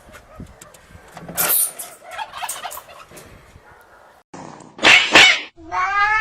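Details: Domestic cats fighting: harsh broadband hisses and spits flare around one and a half seconds and again near five seconds, followed by a drawn-out, harmonic, slightly rising yowl at the end, with quieter scuffling between.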